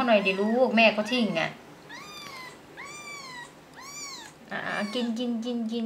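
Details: Three high, arched mews about a second apart from a six-day-old kitten whose mother rejected it at feeding time, indoors, with a woman speaking Thai before and after the cries.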